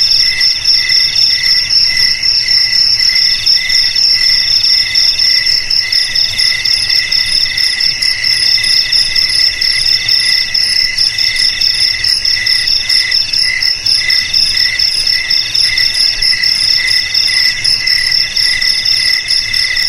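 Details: Crickets chirping nonstop in a dense, shrill, high-pitched chorus, with bright ringing tones layered over a fast pulsing trill that never pauses; no other sounds.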